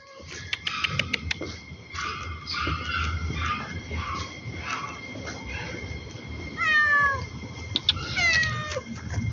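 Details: Domestic cat met again after some time, giving a series of meows: short repeated calls early on, then longer drawn-out meows with bending, falling pitch near the end, over low background rumble and some handling noise.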